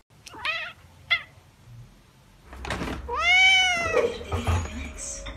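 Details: Domestic cats, a calico and a tabby, meowing indoors: two short chirps early on, then a long drawn-out meow that rises and falls, followed by rustling noises.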